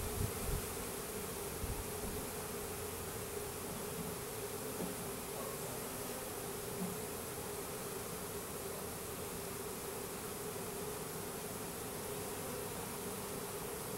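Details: Honey bee colony of Russian/Carniolan hybrids, about 10,000 bees and one queen from a three-pound package, settling into a new hive in April 2012; an unbroken mid-pitched swarm hum holds for the whole stretch, with light knocks at the start.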